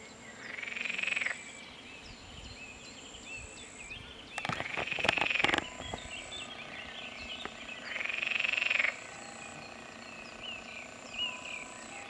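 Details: Pelophylax green frogs calling at ponds in the Draga valley, 12 June 2022: three loud rattling croak bouts, each lasting about a second, roughly every four seconds, with a brief clattering noise between them and a high background hiss.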